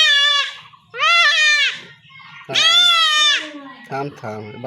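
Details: Kid goat bleating loudly during castration by villagers in rural Bangladesh: three drawn-out, quavering distress cries, with a man's voice and short broken sounds at the end.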